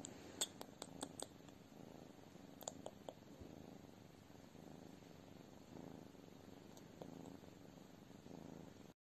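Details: Abyssinian cat giving a soft purr that swells and fades in repeated low throbbing bursts, with a cluster of crisp clicks near the start and another pair around the third second.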